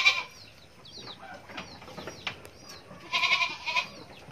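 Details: A goat kid gives a sharp bleat at the start, then a stronger trembling double bleat midway, with scattered thin curved chirps of smaller animals in between.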